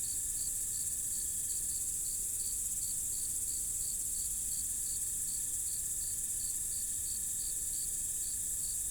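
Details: In a forest at night, a cricket chirps in bright, high, evenly spaced pulses, about three to four a second, over a continuous shrill insect trill and faint low rumble.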